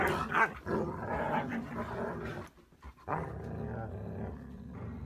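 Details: Siberian Husky indoors giving a run of low, throaty growl-like vocal sounds with a harmonic, voice-like quality, pausing briefly midway before resuming with steadier rumbling.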